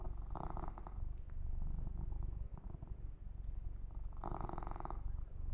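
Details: Purring male kitten during a massage, a continuous deep throbbing rumble with two louder bursts of brushing and rubbing on the fur near the start and end.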